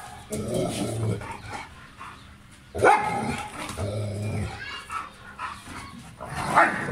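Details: German Shepherd dog at play in Pakistan, giving several loud, harsh barks in separate bursts spaced a second or more apart, with low rumbling sounds and some human voices between them.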